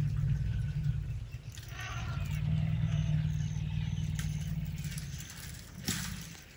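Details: Night-time elephant purr beside a tent in Tanzania's Tarangire National Park: a continuous low, vibrating drone holds for about four seconds, then fades under soft rustling and a faint hiss.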